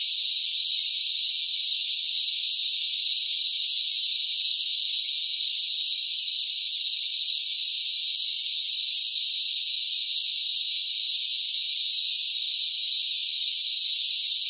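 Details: Loud chorus of cicadas in sweltering summer heat: a dense, continuous hissing drone, high-pitched and unchanging in strength throughout, with no pauses and no other noises.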